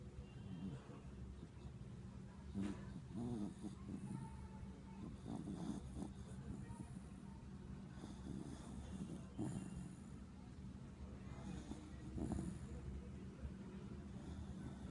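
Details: Sleeping Schnauzer snoring: a low, steady rumbling drone with soft breathy pulses rising and falling throughout.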